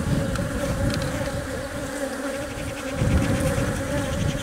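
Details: Honey bees inside a hive, where the queen lays eggs while worker bees protect and feed her; a steady, dense droning hum with a strong tone near 270 and 550, low rumbling below, continuous without pauses.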